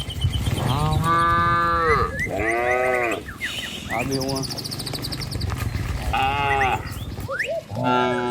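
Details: Cattle herded along a rural village road toward a truck and their pen. Rapid, overlapping moos of varied pitch, some rising then falling, follow one another closely. Chirping birds and low rumbling are heard between calls.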